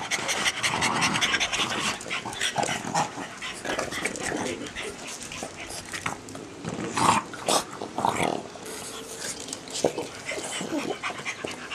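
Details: Four French Bulldogs grumble, snort and pant in rough bursts as they play-wrestle.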